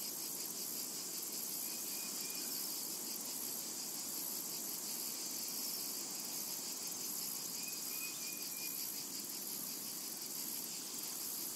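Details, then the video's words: A summer meadow full of cicadas, their unbroken high-pitched buzzing drone shimmering and pulsing gently, with two brief faint chirps heard around the second and eighth seconds. "Summertime and Cicada Ambience"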